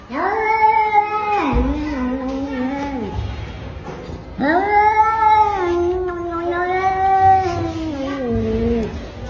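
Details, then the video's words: Fighting domestic cats giving long drawn-out moaning yowls, two sustained wavering howls each several seconds long, the second rising then sliding down at the end, with faint scuffling underneath. "Cat Fighting"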